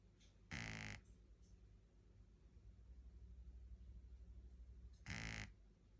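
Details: Snoring of a Shih Tzu puppy aged ten weeks, sleeping indoors: two loud, rasping snores about four and a half seconds apart, with soft pulsing breathing between them.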